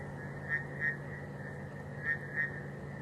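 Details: At night after rain on a warm evening on safari, frogs give short, bright croaking notes, roughly in pairs about a third of a second apart, over a continuous insect and cricket hum and a low rumble.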